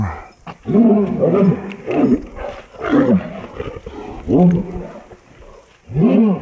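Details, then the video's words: Two dogs fighting, a Presa Canario against a pit bull mix: loud, harsh, arched growling barks in short bursts about once a second, with brief pauses between them. "presa canario vs pitbul mix"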